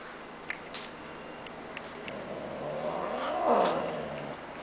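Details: Bengal cat, described as cranky: a low, rough drawn-out caterwaul that rises and swells in the second half, over steady background hum and a few faint clicks.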